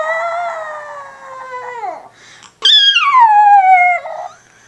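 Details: Chihuahua dog howling: two drawn-out, high, tonal wails with rich overtones. The first holds steady, then drops sharply at its end. After a short break, the second starts higher and slides steadily downward before fading.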